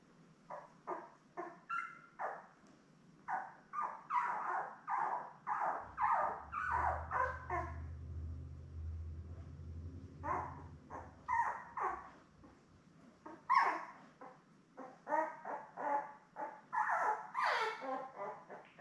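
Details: Seven newborn Labrador Retriever puppies with mother Belle, born May 24, 2021, on a live stream puppy cam; dense bursts of squeaky whimpers and yelps, a low rumble under the middle part.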